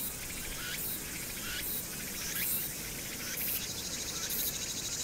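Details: Cicadas on Hwangnyeongsan in summer, recorded 1 August 2019 amid urban background noise: rasping high buzz with rising sweeps about every second, plus steady low city rumble underneath.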